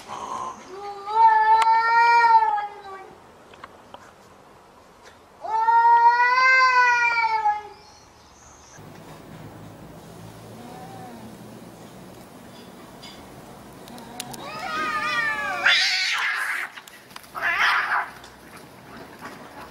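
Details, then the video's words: Fighting cats: two long, harmonic, wavering yowls about four seconds apart, then quieter muffled sounds and a final high, strained screech with scuffling. "Cat Fight"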